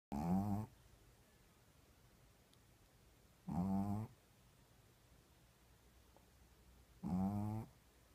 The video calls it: Shih Tzu snoring